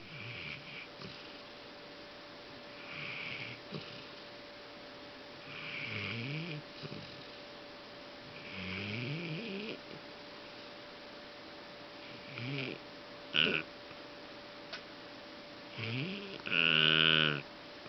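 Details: Golden Retriever Fang, indoors, snoring loudly while asleep, tired after cheering on a friend dog, Blau, at a show at INTEX Osaka; rough snores with rising harmonic sweeps come every three seconds or so, some sharper and louder near the end.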